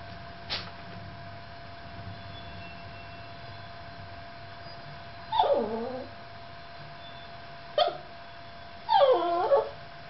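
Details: A Yorkshire Terrier left alone with the camera gives a few high, whiny yelps that slide downward, with quiet pauses between them.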